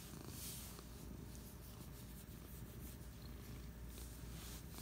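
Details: Cat resting on a couch on a Friday afternoon, purring steadily: a low, continuous rumbling throb without pause, with a faint hiss of room noise above.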